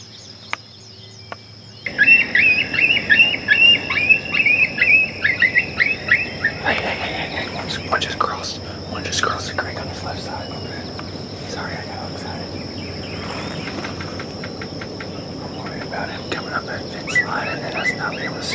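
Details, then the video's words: Coyotes in summer: after a quiet start, a dense chorus of rapid, high, wavering yips and squeals erupts and pours out in overlapping bursts, then fades into scattered, softer yelps over a steady insect drone. "summer coyotes"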